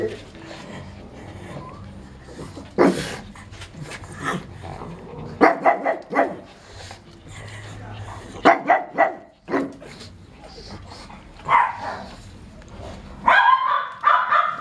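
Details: A Pekingese at a kennel in Itapetininga, São Paulo, Brazil gives short, sharp barks in scattered bursts, with people talking indoors.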